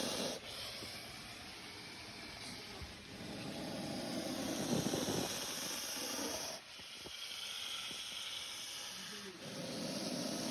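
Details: Hissing of a spectacled cobra, drawn-out airy exhalations that swell and fade over several seconds with short pauses between, set against a constant noisy background with a thin high-pitched electrical whine.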